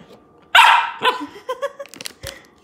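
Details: Female Siberian Samoyed puppy in Canada reacting while being fed kibble and treats: one sharp loud bark, then a quick series of short high yips and whines, with a person speaking.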